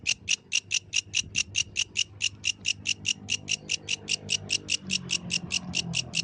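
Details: Yellow grasshopper singing at night in the wild: a steady train of short, bright, rasping pulses, about five per second, with a soft low rumble beneath.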